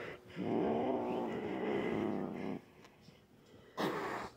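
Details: Pet cat, a normally calm female in a grumpy mood before nail clipping, growling and hissing: a two-second low rumbling growl, then a pause and a brief breathy hiss-like burst.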